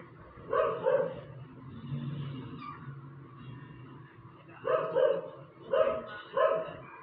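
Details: Endless barking from a dog: one double bark at the start, a stretch of low rumbling engine-like noise, then three loud barks in fairly quick succession.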